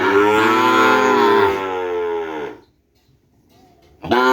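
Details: A single long, low, resonant moo from a Madura bull-race breeding animal from Sapudi Island fades out after two and a half seconds, followed by near silence and the start of another call.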